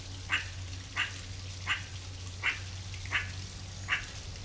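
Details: Meerkat (Suricata suricatta) in the wild giving brief, sharp chirping notes, six in a row at a steady pace of roughly one every 0.7 seconds, over a constant low hum.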